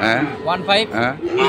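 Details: Sahiwal bull calves at the Ambari cattle market in Dinajpur on 6 November 2023, giving short wavering moos, several overlapping in quick succession amid market noise.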